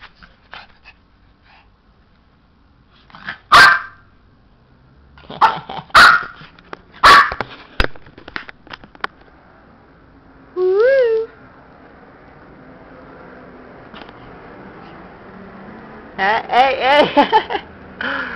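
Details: Pet dog giving a few sharp, loud barks spaced one to three seconds apart, then a short rising-and-falling whine and, near the end, a quick run of wavering yelps, with Spanish speech and laughter around it.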